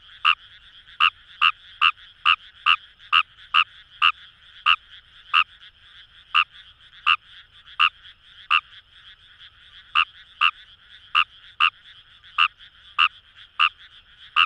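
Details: Paddy-field chorus of Fejervarya kawamurai at Itoshima, Fukuoka, Japan, near the Kamo River: loud clipped raspy notes in quick runs, then slower and spaced out, with a dense murmur of distant calling frogs underneath.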